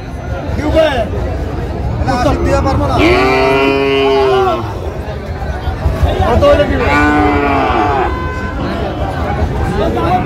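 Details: Young Sahiwal bull calves, aged around seven or eight months, at a busy market on 28 February 2025 as a farmer from Dhaka purchases them; two long, wavering moos stand out amid people talking and market bustle.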